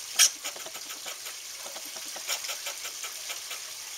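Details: An angry squirrel lets out one loud squeaky burst, then keeps up a steady, fast stream of soft raspy chuck-like clicks against a hissing background.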